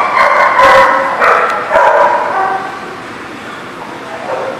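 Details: Several dogs at the Barking Lot bark and bay at once, recorded 10/29/18: a dense, overlapping mass of harmonic barks and yelps that swells in the first two seconds and then eases slightly.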